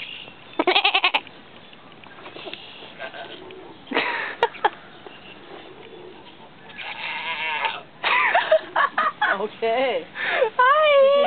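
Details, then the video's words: Female goat that came down off a table on her own to greet and answer a person, giving short pulsed, wavering bleats early on and a run of quavering calls near the end, mixed with a person talking to her. "Little lady goat talking to me and saying hi!"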